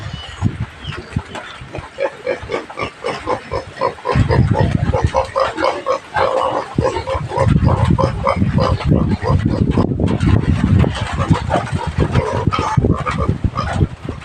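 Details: Native pig kept on a country farm and fed taro, uttering low rough grunts in an irregular stream, with steady snuffling and some higher squeaky cries over background shuffling.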